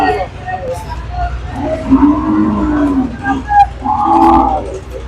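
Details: Sahiwal cow at a cattle market: a low, drawn-out moo lasting over a second, then a shorter second low call, with people talking nearby and general market bustle.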